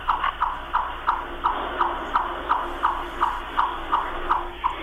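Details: A chipmunk repeats sharp, mid-pitched "chip" calls, the sound it is named for, at a steady pace of nearly three per second over a faint low hum; the daytime call is often mistaken for a turkey or grouse.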